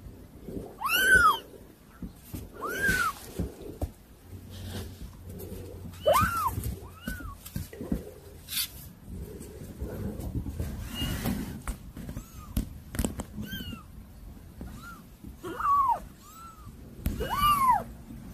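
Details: A litter of rowdy kittens mewing repeatedly, short bowed cries of varying loudness scattered across the stretch, some faint and some sharp, over a bed of rustling and low thumps.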